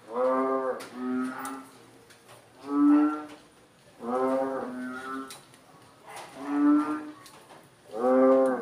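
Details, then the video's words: {'caption': 'Frogs heard after rain, calling loudly one after another as if talking: about six nasal, harmonic, droning calls, each under a second long, alternating roughly every one to one and a half seconds over a quiet background.'} "HOW DO FROGS COMMUNICATE"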